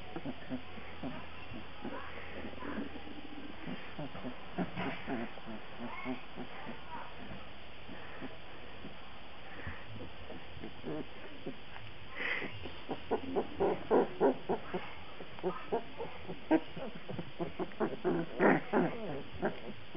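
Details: Black Labrador Retriever puppies from a breeding kennel; a quiet stretch with faint rustling gives way to a run of short, harmonic squeaks and grunting whines in the second half, coming in quick irregular bursts.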